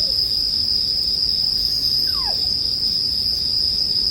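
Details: Bell crickets keep up a constant high-pitched ringing chorus while a campfire crackles softly below; a faint descending slurred tone passes midway.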